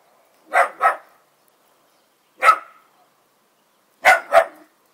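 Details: A newly acquired Miniature Bull Terrier barks at dogs outside, giving sharp, mid-pitched barks, mostly in quick doubled pairs.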